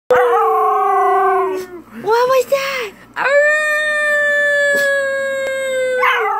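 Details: A female Siberian Husky puppy howls ("singing"), giving long, drawn-out howls with a wavering, yodelling break between them.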